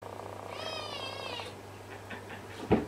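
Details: Tonkinese cat (Felis catus), kitten meow.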